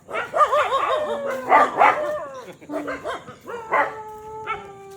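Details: Dogs in Rajshahi, disturbed on purpose by people, give wavering, howl-like whines and drawn-out yelps that slide up and down in pitch, with a few sharper barks and some voices behind.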